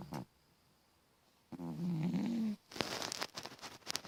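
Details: Sully the cat, asleep, lets out a single low, buzzing snore lasting about a second, after a brief snort and before some rustling noise.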